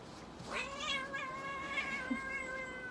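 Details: Maine Coon named Stella at a Nagoya veterinary clinic during treatment (nail clipping, paw pad fur trimming, anal gland expression and dental care) giving one long, drawn-out harmonic meow, steady then slowly sagging, over quiet room noise.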